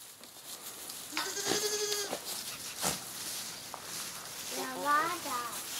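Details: Pushy goat giving two bleats: a wavering, buzzy bleat lasting about a second, then a shorter bleat that rises and falls near the end, over steady background noise.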